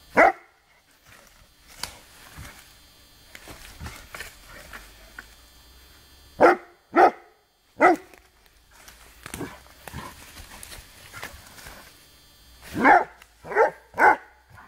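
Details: Male Rhodesian Ridgeback in the woods, baying at a branch during bark command training. Loud, gruff barks come in bursts: one at the start, three in close succession midway, then another rapid run of three near the end, with quieter rustling between.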